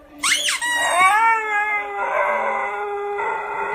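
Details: A short high squeak from his squeaker toy sets off a male Siberian Husky's long, steady, mournful howl; he howls every time the toy squeaks, seemingly displeased. Siberian Husky.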